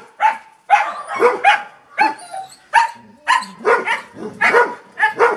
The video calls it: Toby' Random Clip - Sound of Golden Retriever Barking.